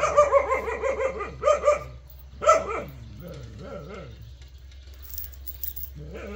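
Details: Jindo dog giving a run of sharp barks in quick bursts during the first three seconds, then quieter yelps, with a steady low hum underneath.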